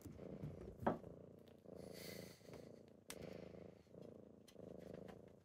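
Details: Kittens wake their owner in the morning, purring in soft rhythmic rumbles that swell and fade about once a second, broken by a brief click and a short rustle of bedding.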